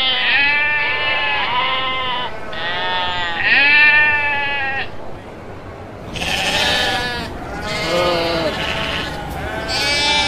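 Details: Kacang goats bleating: two long, wavering, nasal bleats in the first five seconds, then louder, harsher overlapping bleats from several animals, with steady background hiss.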